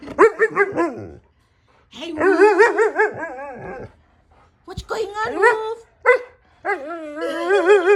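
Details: Siberian Husky producing loud, drawn-out, wobbling howl-like 'talking' calls in three main bursts separated by brief silences. The pitch warbles up and down repeatedly within each burst, with rich harmonic tones.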